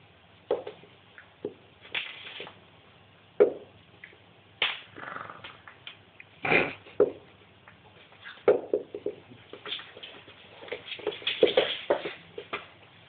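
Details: Hedvig, a pet dog, growls while playing with a rope indoors, a hand on her head triggering it: irregular bursts of rough, raspy growling and huffing, some short and some drawn out, spread across the stretch.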